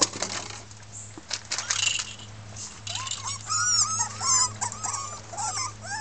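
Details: Miniature Pinscher puppies from a 2013 litter of six red girls at Keltic Kennels, protesting; after scuffling noise, short rising-falling whines come in quick succession from more than one pup over a faint low hum.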